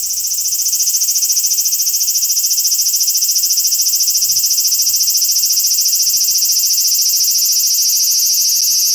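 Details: Summer cicada song from 2020, a loud continuous high-pitched buzzing drone that swells in at the start and then holds steady, with a fine rapid pulsing throughout.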